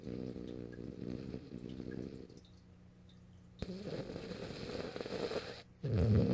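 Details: French Bulldog named Morio snoring while asleep on its owner's lap, recorded March 8, 2012 indoors; low rumbling, rasping snores in a steady rhythm over the first seconds, a quieter pause, then louder gurgling, snorting breaths.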